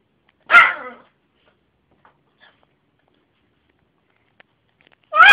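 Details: Yorkshire terrier named Jessy giving her funny bark: one sharp, high, ringing yap, a long silence, then another bark starting at the very end.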